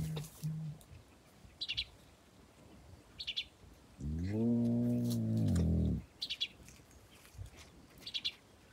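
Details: Hyenas interacting beside a car in Kruger give one drawn-out, low, harmonic moaning call of about two seconds. Short high bird chirps come in small bursts before and after it.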